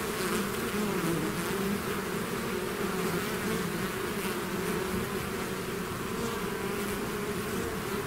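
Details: Loud, steady buzzing of a bee swarm flowing out of its hive, a full droning hum with little variation and a few fleeting louder passes.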